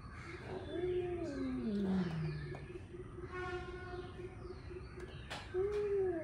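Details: Angry male cats warming up for fighting; drawn-out, wavering yowls that slide downward in pitch, then a rising-falling wail near the end, over a steady low hum.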